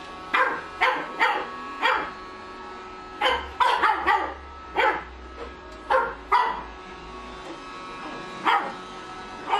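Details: A female Pug puppy, seeing a Roomba robot vacuum for the first time, barks at it while it runs: sharp, high barks in irregular bursts, some doubled, over the machine's low hum.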